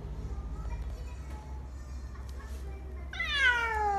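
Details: Pet cat gives a drawn-out, falling meow with clear stacked harmonics near the end, after low rumbling background noise, soft music and a few spoken words.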